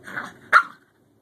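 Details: Bjorn, a young male Scottish Terrier newly adopted into the home, at play with older sister dog Savannah after sorting out who is boss: a soft yip-like sound, then a single sharp, bright bark cut off quickly.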